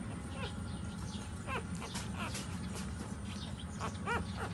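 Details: Dog puppies nursing while their mother stands, giving thin, high whimpers that slide downward in short bursts, several in under five seconds, over a steady low background rumble.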